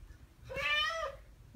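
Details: A single drawn-out, bright chirp with rich harmonics, rising then falling, from one of the Ragdoll cats Ao and Aki, aged one year and nine months, imitating birdsong they hear.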